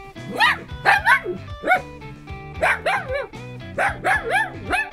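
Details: Dog in a home shared by a Shetland Sheepdog puppy and a Miniature Dachshund, unclear which one barks: a run of sharp, bright barks in quick pairs and triplets, repeated about every second, over steady background music.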